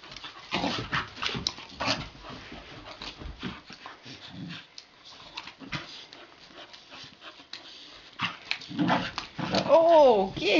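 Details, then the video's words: Play-wrestling puppies Gidget and Garnet; scuffles and breathy noises, then near the end a clear high whine that bends down and up in pitch, with a human voice close by. "Puppies Wrestling"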